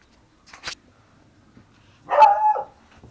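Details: Miniature Pinscher mix dog letting out one sharp, full bark lasting about half a second, after a brief click; otherwise quiet surroundings.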